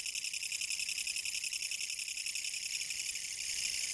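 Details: Japanese kutsuwamushi katydid in autumn 2014, singing a harsh, pulsing rasp; the pulses throb about two per second in clear beats, loud and uninterrupted, growing slightly stronger at the end.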